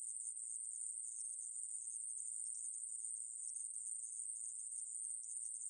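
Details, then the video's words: Aemaebuli grasshopper recorded in 2020, giving a sustained, sharp, hissing buzz at a very high, even pitch with no breaks or changes, and no background sounds. "애매부리, 여러번 듣기, 곤충소리"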